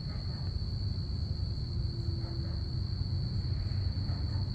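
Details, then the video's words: Night-time crickets on a Saturday evening keep up one continuous shrill ringing note while the deep drone of passing aircraft fills the background. "crickets chirping"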